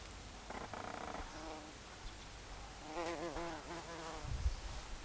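A common carder bee gives a deep, droning buzz with a rich, layered tone. The hum rises and dips in waves as the bee shifts position, over faint background noise.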